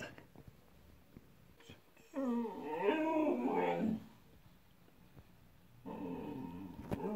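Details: Indoors, Mirca the Siberian Husky makes a wobbling, warbling whine lasting nearly two seconds. After a quiet pause a second whine begins.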